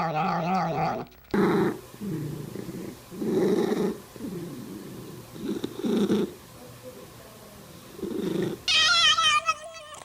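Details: Domestic cat, one of several odd cat noises, making short chattering bursts repeated every second or two, with a sharp meow at the start and a trilling, wavering cry at the end.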